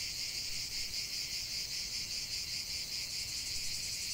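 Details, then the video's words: Cicada song as an unbroken shrill chorus, a bright, even electric hiss held at one pitch throughout with a gentle regular pulsing texture. "45 min de chant des cigales"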